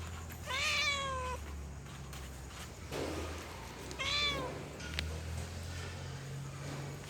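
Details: Female cat in heat calling a male: two drawn-out harmonic meows, the first rising then holding level for nearly a second, the second arching up and falling, with a steady low hum and background noise between them.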